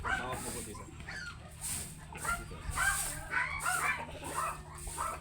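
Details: Oversize American Labrador Retriever during a stud session at a kennel in Manaoag, Pangasinan, giving quick bursty barks or yips about twice a second, with background noise and possible voices.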